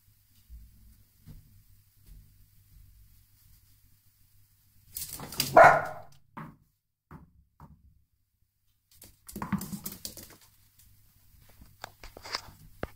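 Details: A dachshund playing on indoor stairs gives one sharp, loud bark, followed by softer yips and scuffling.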